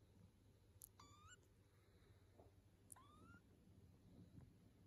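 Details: British Shorthair kittens, nineteen days old, playing with their mother cat. Two thin, rising mews with stacked harmonics, the second longer and sliding upward, over a steady low rumble and faint rustling.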